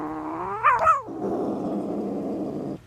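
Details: Pet tomcat holding a piece of bread he was given. A brief rising-and-falling yowl gives way to a low, raspy, sustained growl lasting about two seconds, indoors.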